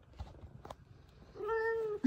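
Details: F2 Savannah cat indoors welcoming its owner home from work; a single clear, steady harmonic meow of about half a second near the end, after quiet rustling and faint purring.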